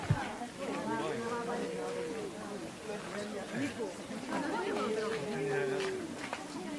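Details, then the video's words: Pet cats quarrelling at home: long drawn-out, wavering yowls held steady for about a second, rising and falling in arcs, with overlapping chattering and murmuring sounds in the background. "我家貓咪 愛吵架"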